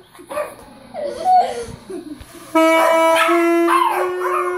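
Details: Yorkshire Terrier named Rocco 'singing' along to a saxophone played by a 9-year-old boy: wavering, sliding whine-howls at first, then a long steady saxophone note with the dog's rising and falling howl over it.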